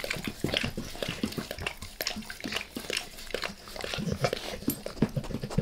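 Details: Max the dog licking a person's face: dense, wet smacking and slurping clicks in a continuous, busy stream, with soft lapping pulses throughout and no barking.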